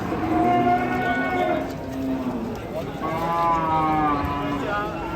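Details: Enraged cattle from Indonesia giving two long harmonic moos, the first falling across a second and a half, the second starting after a short gap and swelling, over background chatter.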